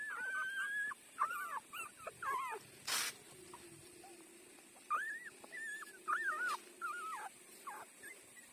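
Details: Newborn puppy, five days old, feeding at its mother, letting out bursts of high wavering whines in two clusters, with a sharp click near the middle and a faint low hum beneath.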